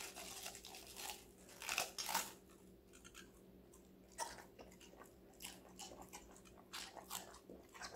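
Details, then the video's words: Connie, a five-month-old female Golden Retriever, crunches through assorted vegetables; two sharp, loud bites near two seconds, then softer, irregular chewing crunches roughly every half second over a faint hum. "강아지 각종야채 먹방 l 사각사각사운드 🌿Various vegetavles🌿REAL SOUND"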